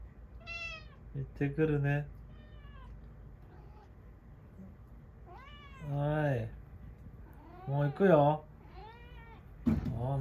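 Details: Pet cat meowing indoors as its owner says goodbye before leaving, several rising and falling meows, some short and some drawn out, with the owner's voice speaking Japanese between them.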